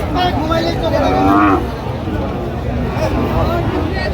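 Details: Cow lowing at the Aftabganj cattle market on 6 September 2025, among lean, bony dairy cows offered for sale: a short, deep moo rising briefly near the middle, set against steady crowd babble and traders' voices.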